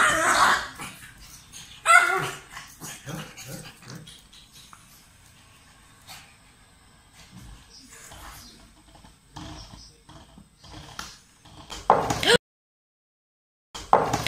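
A young pug lets out short, harsh barks in bursts, broken by thin whining whimpers. Human speech and snatches of music sound faintly behind it, and there is a brief gap of silence near the end.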